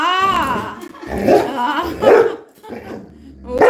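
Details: Coco, a pet Labrador Retriever indoors at home, begging to grab slippers from feet while told to go sit: a drawn-out harmonic whine opens, then gruff barking bursts, with a person speaking Bengali over it.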